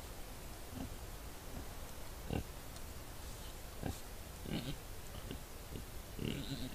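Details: Several wild boar in a hollow at night, recorded by a trail camera, giving short, deep grunts at irregular intervals, about five in seven seconds, against constant hiss.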